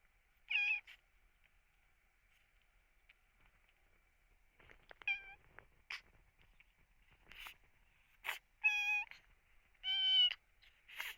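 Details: Sick rescued kitten with cat flu and heavy eye discharge, its cries sounding painful: a series of high, harmonic-rich meows, brief and repeated every second or two, with sneeze-like bursts between them.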